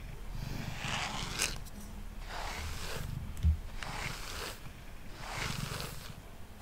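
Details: A male cat named Mango purrs on a table during brushing. A low, rumbling purr hums beneath the louder brush strokes, which rasp at regular intervals.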